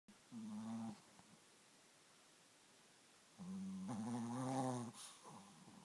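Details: Sleeping Chihuahua snoring: two drawn-out, buzzy, nasal breaths, the first short and the second longer and louder with a slight rise, separated by about two seconds of quiet breathing.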